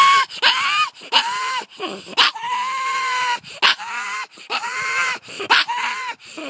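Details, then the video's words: Excited pet pug Layla sounding off at two terriers on the driveway: loud strained yowling tones, each held about half a second to a second, separated by sharp single barks in a steady rhythm. "Pug making weird noises"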